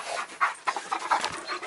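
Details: German Shepherd panting rapidly, with quick breathy huffs repeated several times a second and no other clear sounds.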